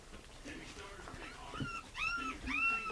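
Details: Smooth coat Chihuahua puppies give thin, high whimpers that slide up and then down, several overlapping near the end, while a person talks softly over them.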